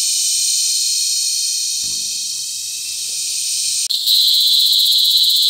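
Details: Cicada mating call recorded up close in La Carlota City, Negros Occidental, on July 18, 2020: a steady piercing high drone, briefly cut off near four seconds before resuming with a harsher, pulsing, rattling texture.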